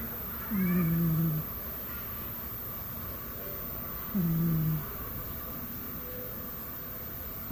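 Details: Sleeping domestic cat snoring, two low, short, slightly falling rasping breaths about three and a half seconds apart over steady background hiss.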